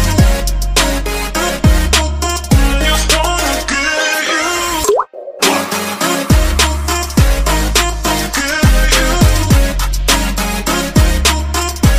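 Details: Pop music with a steady thumping beat and plucked tones, briefly dropping out near the fifth second.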